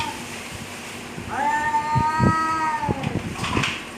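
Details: Cats squaring off in a fight: a single level, nasal yowl lasting about two seconds, with scattered knocks and scuffling noises around it.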